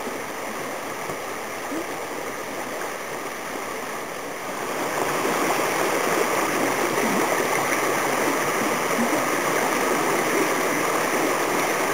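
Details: Steady rushing stream noise that grows louder midway; no animal sounds.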